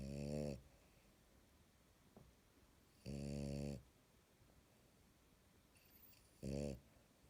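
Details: Sleeping French Bulldog snoring loudly indoors: rough, low, rattling snores, each about half a second long, coming every three seconds or so, with quiet breathing between them.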